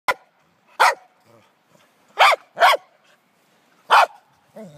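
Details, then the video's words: Pembroke Welsh Corgi, male, excitedly chasing and pushing a jolly ball horse toy; five sharp barks spaced irregularly over a few seconds, with a man's voice talking to the dog in between. "Crazy Corgi chases jolly ball horse toy"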